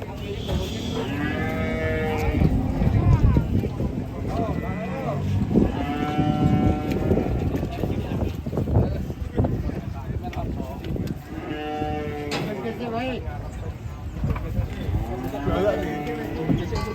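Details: Cattle resisting loading in a failed attempt, bellowing loud drawn-out moos, about four long lowing calls every three to five seconds, with voices and crowd noise around them.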